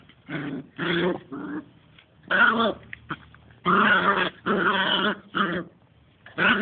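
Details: Two-month-old Smooth Fox Terrier puppies at play, giving short rough growls in bursts of about half a second, broken by brief pauses, with harmonic yelping tones mixed in.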